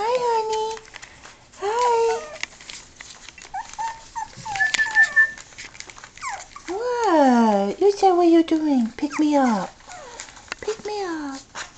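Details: Toy Poodle puppies at six and a half weeks old, four females, whimpering indoors with high, sliding whines that fall in pitch, mixed with a woman's cooing baby talk.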